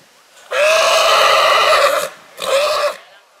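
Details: Purebred horse in spring: a loud, tremulous whinny lasting about one and a half seconds, then a shorter second whinny after a brief pause, both rich in stacked harmonics and wavering in pitch.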